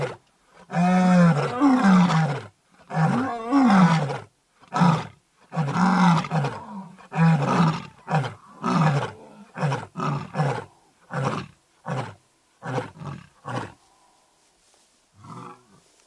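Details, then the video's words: Male white lion in Kruger National Park, South Africa, south of Satara Rest Camp, during an attack on the mother of his cubs; deep roaring bursts give way to a long run of shorter grunts that grow quieter and fade out. "White Lion Attacks The Mother Of His Cubs"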